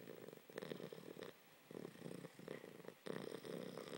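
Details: Sleeping puppy snoring loudly indoors: rough, rasping breaths in bursts about half a second to a second long, separated by short quiet pauses.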